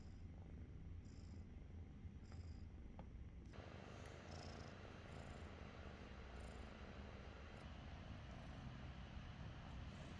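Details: A continuous low, throaty purr from Glue, a roughly five-month-old cat found in the forest, while it shares a loving moment with its dad. Short, faint high-pitched noises are scattered above the purring.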